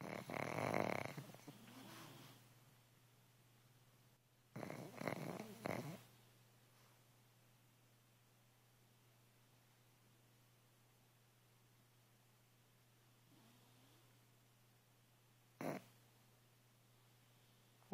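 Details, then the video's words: Loud sleeping snores from the pug Peanut: a rough rattling snort, then a double snore a few seconds later, long quiet breathing and a brief final snort, with a low steady hum behind. "Peanut snoring"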